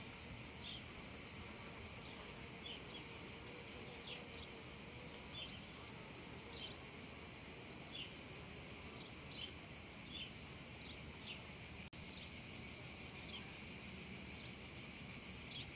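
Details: Hot summer afternoon in a meadow, cicadas in full song: an unbroken high shrill buzz stays level the whole time, dotted with brief repeated chirping ticks about twice a second and one sharp click near the end.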